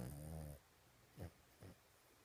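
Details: Toy Poodle sleeping on his bed while dreaming: one long, deep, rattling snore with a tonal buzz, followed by two short, soft snorts spaced half a second apart in a quiet room.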